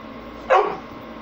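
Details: Pit Bull barking at the camera: a single short, sharp bark lasting a fraction of a second, with a quiet background hiss.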